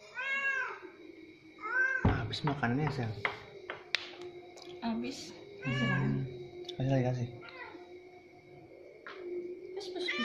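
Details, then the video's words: Orange cat fed at the pre-dawn sahur meal, repeating short arched meows between bursts of human talk and clattering, with a faint steady background tone. "SAHUR BARENG KUCING OREN"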